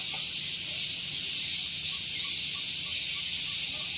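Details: Loud cicadas on a relaxing morning at Gunung Geulis, Bogor, West Java, Indonesia, beside a parking area: an unbroken high sizzling drone, slightly pulsing, with faint soft chirps beneath.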